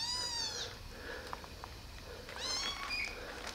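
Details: Tiny rescued kittens, found abandoned on the street eight days ago and housed in a warm basement, walking and drinking syringe milk; two clear, high, falling meows about two seconds apart, with light tapping between them.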